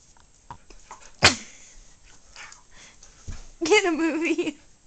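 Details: Pet dog straining to grab his toy, giving a short rising whine of about a second near the end, preceded by a sharp snort or sneeze and scattered indoor clatter and faint voices.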